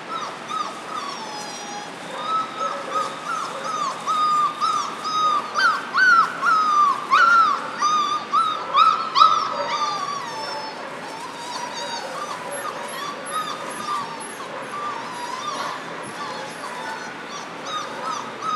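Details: A litter of 4-week-old German Shorthaired Pointer puppies whimpers and squeals in overlapping, wavering high cries.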